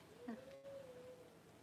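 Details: Newborn Cavalier King Charles Spaniel puppy, one of the first two whelped at home by mother Paris around January 1: a short squeak, then a thin, steady whine held nearly a second at even pitch in a quiet room.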